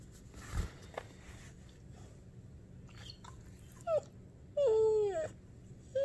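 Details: A young female dog, almost one year old, cries when petting stops: brief rising whimpers, then a longer falling whine near five seconds, with faint rustling indoors.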